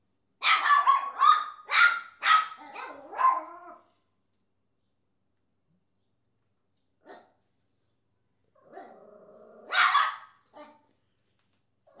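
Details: Pet Papillon Chesster, who barks at everything, lets out a rapid volley of about six shrill barks. After a quiet pause comes a faint click, then one more loud bark with a whiny tail.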